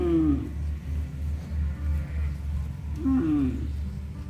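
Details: A tame cow in the fields gives drawn-out, falling moos, calling its calves to come home.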